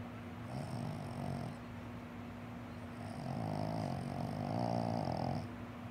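A Boston Terrier snores in low, rasping breaths, each drawn-out rumble followed by a pause.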